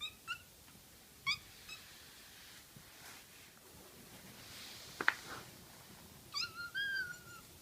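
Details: Pet kitten voicing its young cries: short high squeaky calls, a pause with a sharp click, then a final wavering, downward meow in a quiet room.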